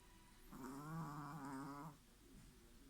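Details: Sleeping Chihuahua snoring comically; one drawn-out, rasping snore of about a second and a half with a deep, buzzy, vibrating tone, then quiet breathing.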